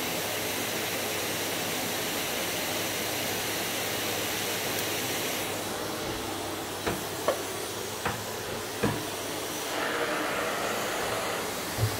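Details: Steady loud hiss and roar of a vacuum cleaner throughout, with a few short knocks and thumps in the second half.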